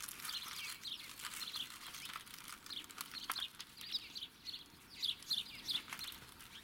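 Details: Six-week-old Irish Setter puppies from the O litter squeak in short high-pitched chirps, several in quick clusters, with scattered soft clicks and rustling around them.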